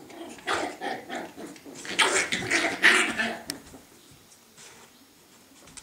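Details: Scottish Terrier puppies giving rough, harsh growling barks in dense overlapping bursts through the first three seconds, then falling quiet apart from faint scuffles.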